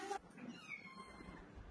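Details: Pet cat being bathed indoors gives a faint, drawn-out, steady-pitched meow lasting about half a second, just after a brief noisy knock; quiet room sound fills the rest.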